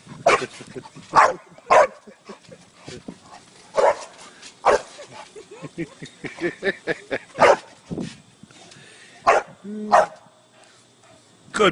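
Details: Playful dog bouncing on a trampoline, barking repeatedly in quick irregular bursts, mixed with people's voices cheering it on and laughter.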